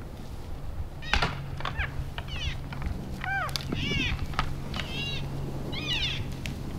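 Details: {'caption': 'Wapiti bulls vocalizing while sparring in the Canadian Rockies at the end of January: a run of rising-falling nasal squeals and mews, interspersed with crisp clacking knocks over a low hum.'}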